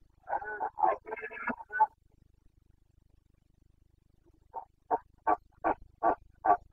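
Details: Rutting Carpathian stag, a red deer of the Bucovina mountains, recorded 29 September 2022 in breeding season: a rough, broken roar, a pause, then six short grunting barks spaced under half a second apart.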